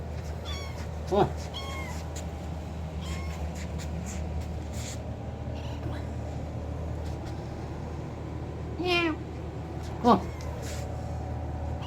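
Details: Kitten meowing loudly to attract its owner indoors: three brief, high, bent meows spread across the stretch, over a steady low hum, with a person softly talking.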